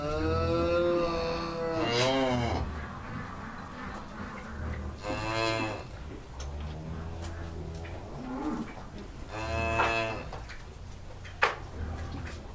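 A cow gives several long, drawn-out moos, deep and droning with a nasal edge.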